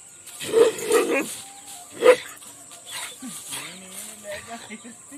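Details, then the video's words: Rajapalayam dogs fighting in an Indian village: three loud, rough barks in the first two seconds, followed by quieter growling or vocal sounds and faint human voices. "Angry Dog Barking Sound Effect | Sirpipaarai and Kanni hunting Dog | Rajapalayam Dog"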